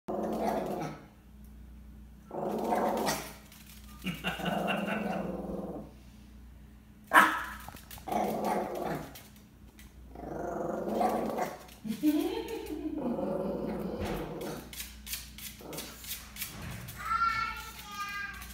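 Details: Bella, a pet Chihuahua, plays indoors with a fly she caught after it buzzed by a window for minutes; short bursts of low, rough growling and yipping with pauses between, and a brief laugh-like human voice near the end.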